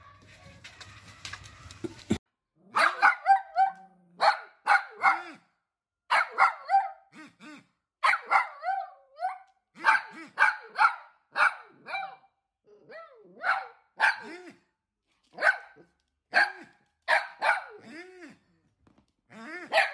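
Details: Pet dachshund, a sausage dog, barking persistently in rapid volleys of two or three sharp yaps, continuing steadily with brief pauses, after a short stretch of rustling handling noise at the start.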